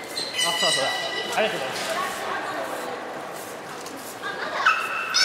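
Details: Young belugas of the children's team at Port of Nagoya Public Aquarium, 5 November 2017, at play during a pool transfer: warbling, harmonic whistles that wobble up and down, with a rising squeal near the end over steady water noise.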